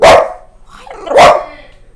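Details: A pet dog making a strange sound toward its owner: two loud, sharp barks about one second apart, with a quiet gap between them, indoors.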